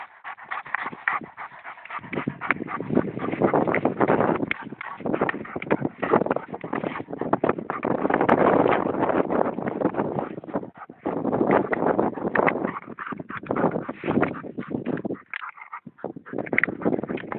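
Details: Vlasic Tornjak, a Bosnian shepherd dog, panting hard in long breathy rushes, steady rhythmic huffing with a few short gaps and faint whimpers.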